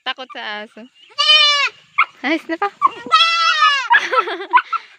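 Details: Baby goat calling with quick stuttering bleats, then a strong sustained high bleat, a burst of short choppy cries, and a second long, steady nasal bleat.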